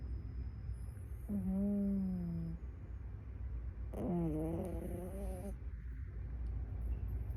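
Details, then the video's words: Sleeping dog snoring: two long, droning, whistle-like tones about a second each, falling slightly in pitch, separated by quiet breathing over a low steady indoor hum. "강아지 코골이"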